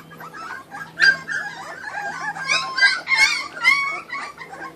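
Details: Kuvasz puppies from a 2013 litter feeding on raw food give high whining whimpers and sharp yips that rise and fall, overlapping and growing louder midway, over a steady low hum.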